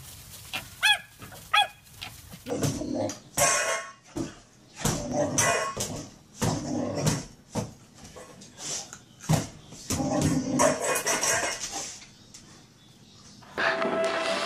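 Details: Dog in a funny compilation of pet moments, giving short harmonic yelps early on, then a run of sharp broadband barks and bursts spaced irregularly across the recording, with household noise between them.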